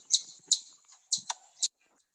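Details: In Southeast Michigan, where it is heard throughout the state, an eastern chipmunk gives sharp, high chip notes in an uneven series that sound bird-like, an alarm call warning of danger.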